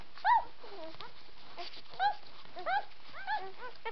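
White Swiss Shepherd puppies give high, arching whimpers and squeaky yelps in scattered bursts.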